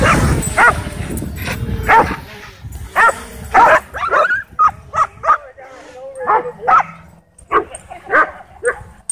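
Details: Dogs at a dog park whipped into a frenzy by a DJI Mavic 2 drone, giving sharp, excited barks in quick irregular bursts, with human talk over the opening seconds and a steady low hum beneath.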